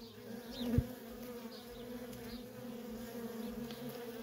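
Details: Steady hum of many worker honey bees at a feral colony, an even, tonal drone with clear overtones and one brief sharp knock near the start.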